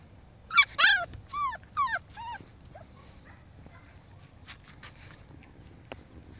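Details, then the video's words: Five-week-old Pomsky puppies at play with a five-week-old Husky pup: a burst of four loud, harmonic, arching yelps in quick succession, then faint whines and scattered clicks against a quiet background. "5 Week old Pomskies playing with 5 Week old Husky."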